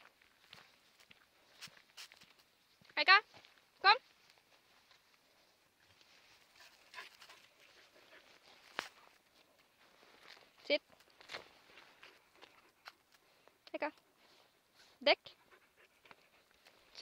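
A Siberian Husky puppy gives short, high, sweeping yelps and whines at irregular intervals.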